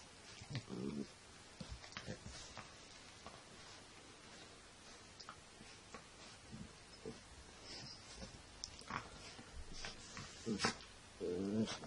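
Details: Sussex Spaniel puppy Shelly, full of energy after her dinner, lets out brief harmonic growling bursts at the start and again near the end, with scattered clatter and knocks of romping in between.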